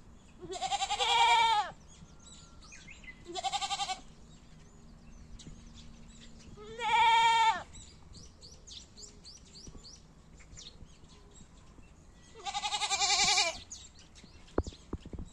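A goat gives four loud, wavering bleats, each lasting about a second.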